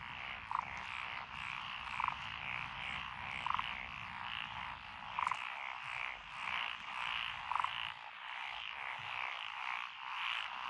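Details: Frogs in lotus paddies along a rural road, Echizen, Fukui Prefecture, 12 June 2021. A thick trilling chorus runs throughout, and lower single croaks repeat roughly every one to two seconds in front of it.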